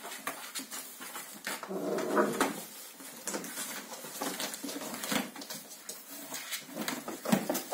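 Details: Seven-week-old Kooikerhondje puppies in a litter indoors; one pup gives a drawn-out whining whimper near the two-second mark, surrounded by constant pattering of small feet and light knocks.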